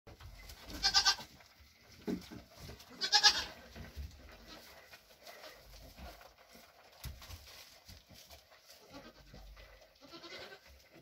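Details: Mother Nigerian Dwarf goat with her triplets born June 18, 2023, eating her grain ration after having her hooves trimmed; two short, bright, harmonic bleats near the start over steady background noise and faint rustling.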